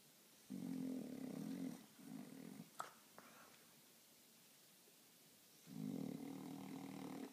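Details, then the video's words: French Bulldog sleeping in a funny position, snoring indoors: two long rasping buzzy snores about a second each, separated by a quiet pause with faint clicks and small sounds. "French bulldog snoring in funny position"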